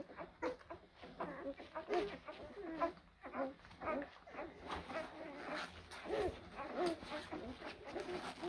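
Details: Blue Great Dane puppies from litters born in April 2023, whining together in high, wavering, overlapping whimpers with short yelps that come in quick bursts and leave little quiet between them.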